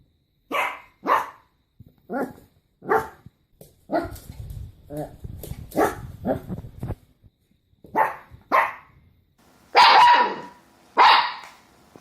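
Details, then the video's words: Pet dog giving short sharp barks in an irregular series, about a dozen over twelve seconds, with a rougher low rumbling stretch in the middle and two louder barks near the end. "강아지 짖는 소리"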